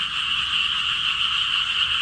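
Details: Frogs croaking loudly enough to startle a timid golden retriever puppy; a dense, continuous, buzzing chorus with an even texture and no gaps.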